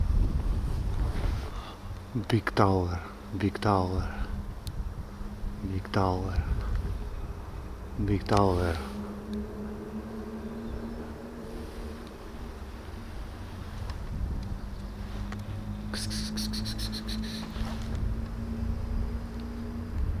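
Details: Hungry, friendly cat approaching a person and meowing for food and attention. About four short, wavering meows come in the first nine seconds over a steady low drone, followed by quieter rustling.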